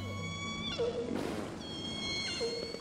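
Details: Orcas in the Strait of Georgia off British Columbia, recorded by the VENUS underwater observatory's hydrophones amid ship traffic noise, give harmonic, squealing calls with sudden pitch bends, broken by a brief rushing burst.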